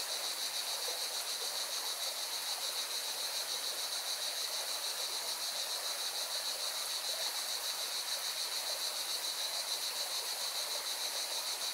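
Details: Cicadas in song beside a mountain river in Valencia, Spain, producing a relentless high-pitched buzzing chorus with a subtle throb, while the river's rushing water hisses steadily beneath.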